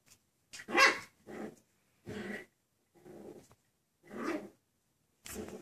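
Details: Six-week-old Miniature Schnauzer puppies from Honey and Ash's litter at play indoors, giving short rough growls and small yappy barks in bursts about once a second, with brief quiet gaps between.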